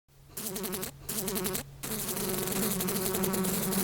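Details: House flies buzzing around: a droning, wavering hum with a rough, vibrating tone. It breaks off briefly twice early on, then settles into a steady, slightly louder buzz to the end.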